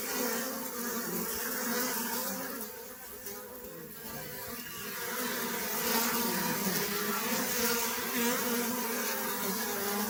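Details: Honey bee buzzing as a continuous swarm-like drone that dips briefly near the middle, then returns stronger and steady to the end.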